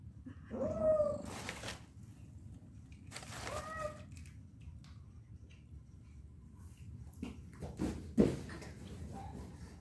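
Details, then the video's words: Pet cat giving two rising-falling meows about two and a half seconds apart, followed by quieter faint calls, sharp knocks and bumps in a small indoor space with steady low hum. "funny and cute cat"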